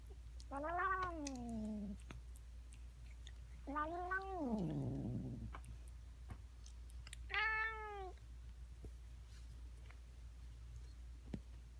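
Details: Cat making strange noises: three drawn-out, wavering meows, the first long and rising then falling, the second trailing into a rough growly tail, the third higher and shorter, over a steady low hum and faint clicks.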